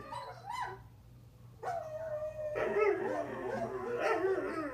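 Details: Greyhound Kramer, a pet, howling back at recordings of other howling dogs: a short yelp, then a held tonal note followed by a rougher, wavering, broken howl with yipping edges over a low background hum.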